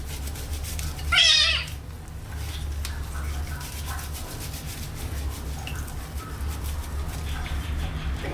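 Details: Kitten washed for the first time utters one brief, bright meow early on, followed by quiet faint water sounds over a constant low hum.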